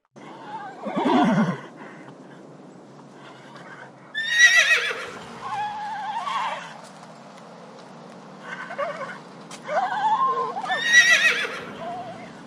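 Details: Several horses whinnying: descending shrill neighs in bursts around one, four to six, and ten to eleven seconds, some shaky and trembling, with softer snorting and a steady low background hum between calls.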